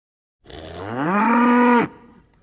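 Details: Cow calling to its herd while grazing in a field: one long moo of about 1.4 seconds, starting low and rising, then holding a steady, strongly harmonic tone before stopping abruptly.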